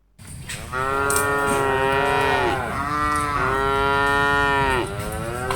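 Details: A herd of dozens of cattle being driven along gives one long, drawn-out moo lasting about two seconds, followed by a second lower, sliding moo. The calls are rich and harmonic over a steady background hiss.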